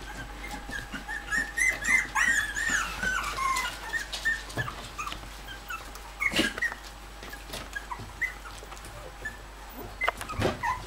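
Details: Indoors, a Bichon Frise mother visits her puppies; a burst of thin, high rising-and-falling squeals packs the first few seconds, then thins to sparse squeaks between soft knocks and rustling.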